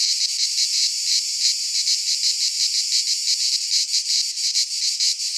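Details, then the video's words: In midsummer in a Greek pine forest, cicadas keep up a harsh, high buzzing song. It beats in uneven surges about three per second, and the pulses become choppier toward the end. "Cicadas singing in midsummer - Nature sounds from the Greek fauna - Sounds of cicadas"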